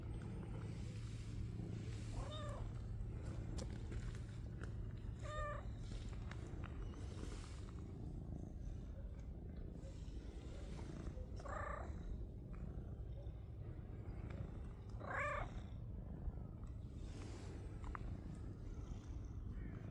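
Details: Gray stray cat on Cat Island, seen again by a visitor after months away, with a shy black cat nearby. A low steady purr runs beneath four short meows that rise then fall, near 2, 5, 12 and 15 seconds, with outdoor background noise.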